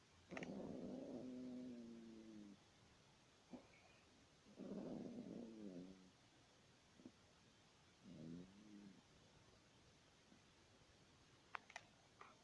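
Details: Sleeping Yorkshire Terrier snoring in uneven breaths, two longer harmonic rasps followed by shorter, softer snorts and scattered small clicks.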